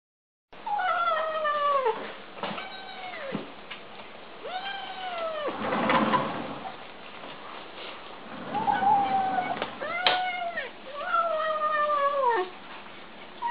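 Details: Kittens eating give drawn-out, falling, harmonic meows and growly calls, with brief noisy chewing sounds between them.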